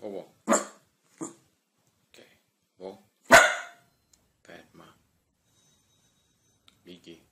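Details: Single barks from a dog spaced irregularly over several seconds, one loud sharp bark standing out in the middle, with human speech heard alongside in an indoor setting.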